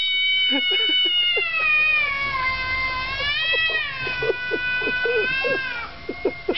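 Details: Two quarrelling domestic cats trade loud, drawn-out wavering yowls that rise and fall in long harmonic-rich wails, with short lower growling bursts underneath throughout.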